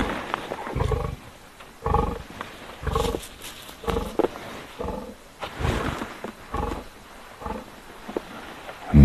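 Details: At sunset on 18 March 2024 at Rietspruit Game Reserve in South Africa's Lowveld, two lionesses give deep, throaty roars as a string of heavy grunts about a second apart. They are greeting a male who has already fed; a human voice is faint between calls.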